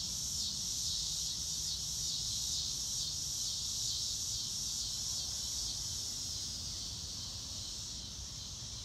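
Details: A chorus of crickets on a clear blue-sky day: continuous high, shrill trilling pulsing steadily at roughly two to three beats per second and fading a little toward the end, with soft low background rumble beneath.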